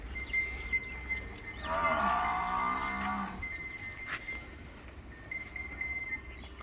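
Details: Nili-Ravi buffalo on a dairy farm in Pakistan, August 2023, giving one long, low, rich moo of about a second and a half that slides slightly, over a steady high ringing tone like a bell and light background noise.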